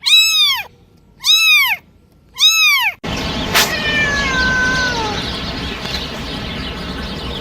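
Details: Domestic cat with three loud, high, arched meows in quick succession, followed by a sudden burst of broad noise and a thin falling whine amid hiss and rumble.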